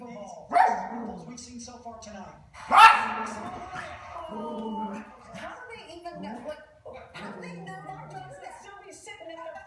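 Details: A bouncing puppy calls out at dogs seen on TV, eager to play: two sharp, loud yelps with ringing harmonic tails, then softer whines and murmuring background sound.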